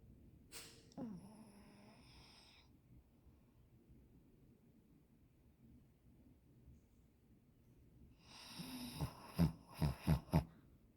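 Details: Pet dog in deep sleep, snoring indoors: a drawn-out wheezy snore early, quiet breathing, then a loud run of rasping snorts pulsing about four times a second near the end.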